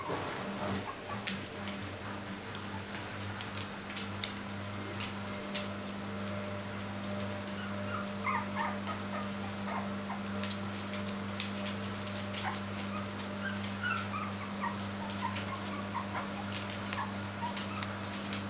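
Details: Bichon Frisé puppies aged three weeks and three days, indoors. Thin, high squeaky whimpers rise and fall in short wavering bursts, clustering in the second half, over a steady low electrical hum and scattered soft clicks.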